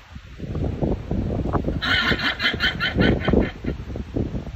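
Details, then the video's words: Llama giving an alarm cry: a rhythmic series of harsh, nasal, bray-like pulses repeated about five times a second over a steady low rumbling background of wind or handling noise. "Llama alarm cry"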